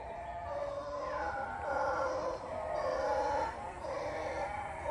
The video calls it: So hören sich Brüllaffen an… Teil 2